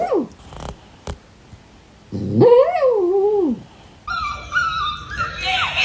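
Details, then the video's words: Dog producing strange noises: a short whimper, then a drawn-out, wavering whine that rises and slides down, followed by a steadier high-pitched whining tone that climbs near the end. "My dog makes some strange noises"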